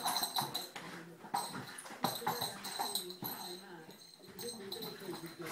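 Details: Young female Bernese Mountain Dog having a crazy moment with her beloved rope toy indoors, letting out wavering whimpers and grumbling moans between sharp knocks and rustles of play.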